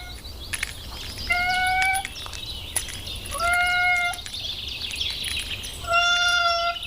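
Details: Kitten playing at home mews three times, steady, tonal calls roughly two and a half seconds apart, over a constant background hiss and faint clicks.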